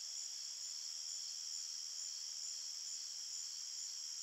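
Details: Night-time forest crickets producing a continuous high, ringing chirp chorus, even in loudness, stacked trill layers pulsing faintly without pause.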